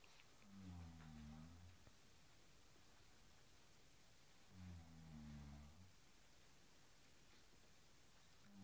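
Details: A Cairn Terrier at play with a blue cushion gives deep, steady growls lasting over a second each, repeated roughly every four seconds, the last one starting near the end.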